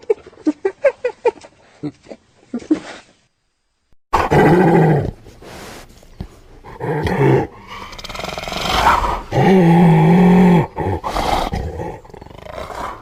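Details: Hyena. A hyena opens with a quick series of short, clipped yelps in a steady rhythm. After a brief silence come loud, harsh, drawn-out groaning and growling calls with a deep rasping tone.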